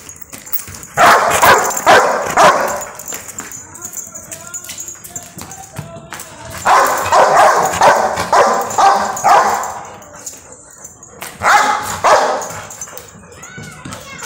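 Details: A Rottweiler, angry over a football, barks in loud, gruff bursts, with several rapid barks in each volley.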